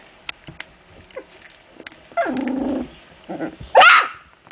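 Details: Playing puppies from Memphis-true, Olga and Scarko de la Betoule: a sustained rough growl lasting under a second, a shorter grumble, then a sharp high yelp, amid light scratching and patter.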